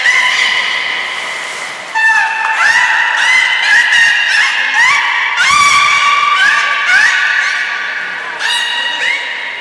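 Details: Beluga during a training session featuring Nana and Nico at Port of Nagoya Public Aquarium, 7 October 2018: a continuous series of bright, harmonic squeals and whistles, many sweeping upward, overlapping one another with brief pauses.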